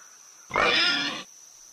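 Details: A pig, said to eat all kinds of food, lets out a single rasping, squeal-like grunt about three quarters of a second long, loud at the start and tapering off. A faint constant high hum sounds underneath.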